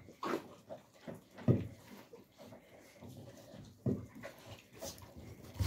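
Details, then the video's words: Young alabai (Central Asian Shepherd Dog) puppies in winter 2022 making low, gruff grunts and whimpers every second or two, with rustling and shuffling noise throughout. "alabai dog 24"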